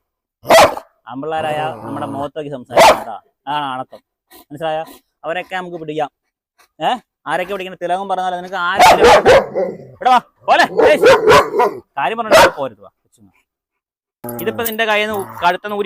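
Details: Dog challenge with a German Shepherd let off its leash at a home in Perumbavoor: scattered sharp, loud barks, singly and in short clusters, breaking through nearly continuous human talking.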